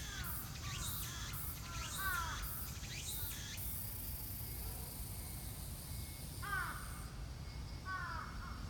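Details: Cicada chorus at Shinjuku Gyoen, 24 September 2018: rhythmic hissing pulses about once a second, then a steady high drone, followed by brief descending chirps from a bird.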